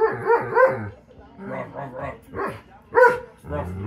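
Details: Loki, a pet dog, singing: a run of short, harmonic, yodel-like woo sounds that bend downward, in uneven bursts with brief pauses between them.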